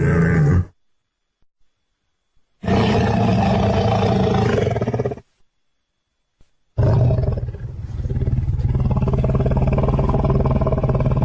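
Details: Lions of the Luangwa Valley feeding and playing together as a family. Deep, harsh, pulsing growls arrive in two long, loud blocks, the second drawn out over several seconds, with clean silent gaps between.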